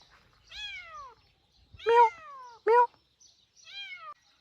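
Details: A kitten out in a rice field meows insistently: four descending, high-pitched cries in about four seconds, with the middle two loud and abrupt.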